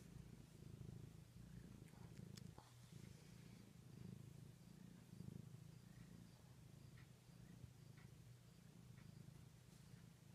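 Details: House cat purring in a quiet room, a deep, unbroken vibrating hum that rises and falls gently in loudness, with a few light taps and rustles.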